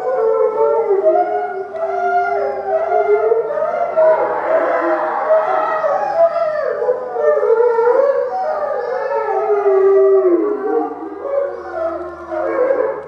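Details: Three eastern timber wolves at Maruyama Zoo in snow, father (5 years), mother (10 years) and 10-month-old son, howl together in overlapping, wavering rising and falling tones, the mother starting in response to an ambulance siren, 15 March 2011; gray wolf chorus howl.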